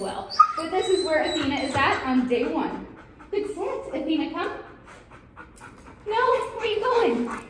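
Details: Athena, a six-month-old German Shepherd at a dog trainer in Alabama, gives wavering, high-pitched whines in several bursts with short pauses between them, while people talk nearby.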